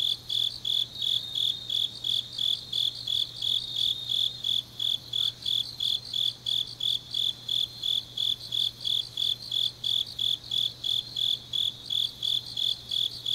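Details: Autumn grass insects chirping deep at night in Changnyeong, South Gyeongsang, South Korea: a high, bright pulsed chirp repeated about three times a second in a steady stream, with several callers overlapping and a faint low hum beneath.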